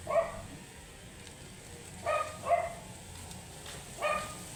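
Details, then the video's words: Shih Tzu with matted fur, angry while being groomed, barks four times: a single yap, then a close pair about two seconds later, and a final bark near the end, with low hum behind. "Angry and matted shihtzu"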